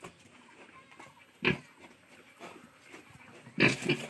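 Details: Farm pigs of Landrace, Hampshire and local Hu breeds on a farm begun in 2020; two loud, harsh squeals about two seconds apart, with faint grunting between.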